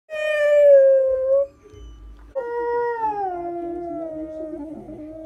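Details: Bandit, a 4-year-old borzoi with early greying, howling during a morning chat with his owner: a long steady tonal howl that sags slightly, a short pause, then a second sustained howl gliding down in pitch.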